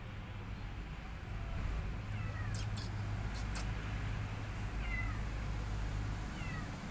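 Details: High, descending kitten mews, spaced a few seconds apart, come from abandoned kittens whose family could not afford cat food. Sharp clicks and knocks break in between the cries over a low background drone.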